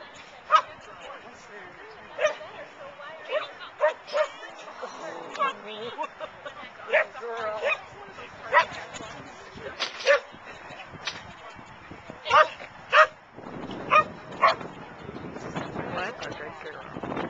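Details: Dog barking at an outdoor Car-Dun-Al agility trial at the Boone County Fairgrounds in Belvidere, June 2010; sharp barks repeat roughly once a second through the stretch over steady human chatter and crowd noise.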